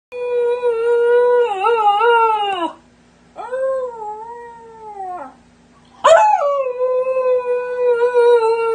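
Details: Siberian husky puppy howling in three long, sustained tonal notes with rich harmonics, the first wavering around a steady pitch, the second sliding downward, the last starting with a sharp yelp then holding level.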